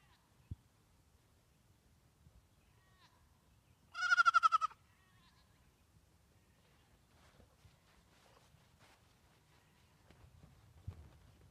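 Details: One of the goats meeting Frances, a deaf Saint Bernard puppy: a single loud, shaky, quavering bleat lasting under a second, with rich stacked overtones, followed by near silence and faint soft knocks.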